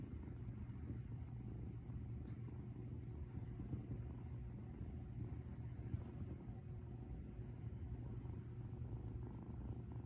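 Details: Ūtan, a female rescued cat, purring contentedly up close as if sharing a bed; an unbroken low, grainy rumble with gentle rises and falls and a faint tap near the middle.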